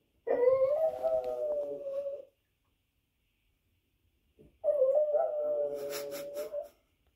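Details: A dog on TV howls while a Boston terrier watches: two long, steady, slightly wavering howls of about two seconds each, separated by a silent gap, with faint clicks during the second.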